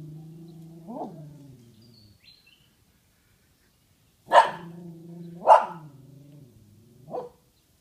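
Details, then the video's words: Dog barking at a large pile of poop: a soft low bark, a silent gap, then two loud sharp barks about a second apart and a final quieter bark. "Dog barks at massive poop"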